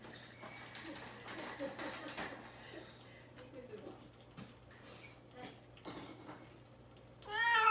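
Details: Caged cat named Mamedaifuku, fasting before neutering and wanting out, meows while a person coaxes it indoors; faint meows under talk and household clatter, ending in a loud, rising, harmonic cry.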